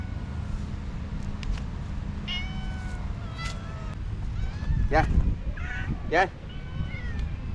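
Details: Stray cats in a city run to a man who calls them to be fed and petted; a chorus of bent, wavering meows builds up, with two louder cries near the end, while he keeps calling over low background hum.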